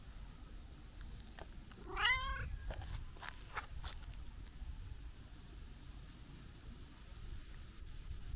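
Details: Affectionate, chatty brown-tabby-and-white stray cat met outdoors on a New Year visit, uttering one short rising meow amid low rumbling background noise and scattered clicks.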